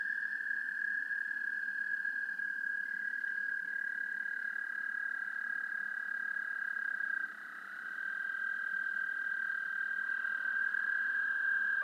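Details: Several American toads trilling together, recorded by parabolic microphone to a DSLR camera; overlapping long steady trills at slightly different pitches, one dropping out briefly near seven seconds, over a soft low background hiss.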